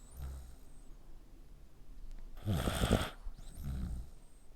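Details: Dog asleep with its neck scrunched up gives one harsh, rattling snore lasting about half a second, framed by softer low breathing sounds before and after.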